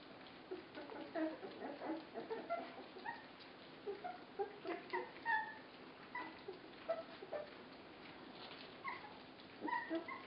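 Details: Busy chorus of 24-day-old puppies during a feeding: many brief high squeals and whimpers tumble over one another almost continuously, thinning out toward the end.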